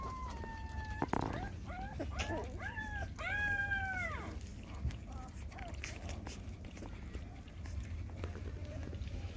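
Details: Mother dog GiGi nursing her six puppies; high whistled puppy whines and squeals, several rising then falling, clustered in the first four seconds, followed by quieter rustling and a low background hum.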